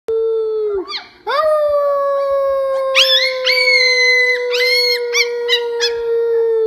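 A young coyote gives a long, drawn-out howl that wavers and breaks into higher yelping notes.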